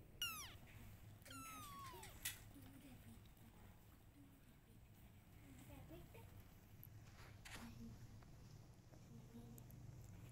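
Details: A mother cat meowing because she wants her kittens to follow her: two high, thin meows that slide downward in the first two seconds, then mostly quiet with faint rustling and a sharp click.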